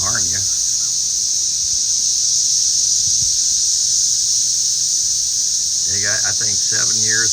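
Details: Cicadas swarming around garden potato plants, with birds hunting them. A continuous shrill high buzz fills the whole clip, while a man's voice talks over it at the start and end.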